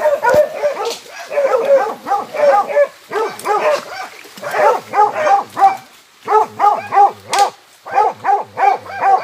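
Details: Dogs heading out after white-lipped peccaries, barking hard in rapid yelping bursts of about three barks per second, broken by short pauses, the barks overlapping as though several animals call together.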